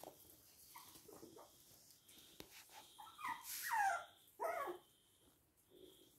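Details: Toy and miniature poodles, Hahnstätten, 19 February 2022: a few soft nasal squeaks, then two loud high whimpers that slide downward, the second shorter and sharper, over a faint steady hum and light background rustling.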